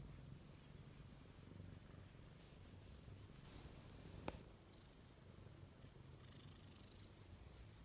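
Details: Domestic cat seeking affection while the household dog is away; a low, steady rumbling purr runs throughout in even pulses, with one brief sharp click near the middle.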